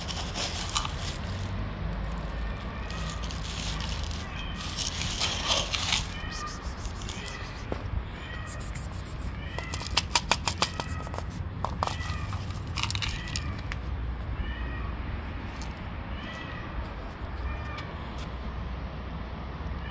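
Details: Pregnant stray cats living on the street gather around a person; repeated short meows rise and fall every second or so, overlaid with crackling handling noise and low rumbling background.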